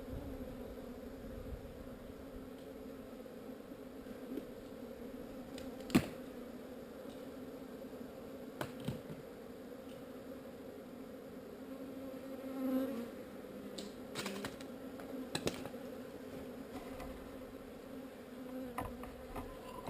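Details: Swarm of honey bees being relocated. A continuous droning hum holds two steady pitch bands for the whole stretch, broken by scattered sharp ticks and taps, with a brief louder swell midway.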